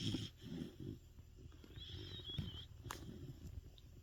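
A sleeping Sapsali dog snores loudly, with deep, rumbling, rattling breaths.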